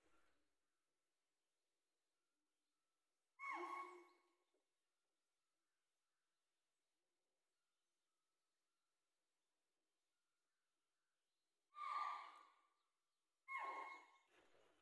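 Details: A spotted deer gives sharp, shrill alarm barks, spaced apart with silence between them, in Nagarhole National Park and Tiger Reserve, Kabini, on safari where a tiger was sighted.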